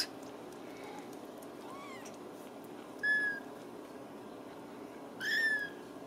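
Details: Ragdoll kittens raised in a home cattery in central Kansas; two short, thin, high meows about two seconds apart over a quiet room hum.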